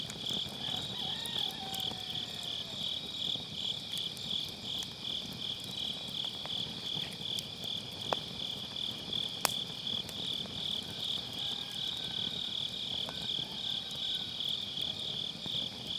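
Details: A chorus of grass insects on an autumn night near a campfire in a round fire pit, recorded with a Sennheiser MKE600 and low cut; shrill trilling runs unbroken, while firewood crackles with occasional sharp pops.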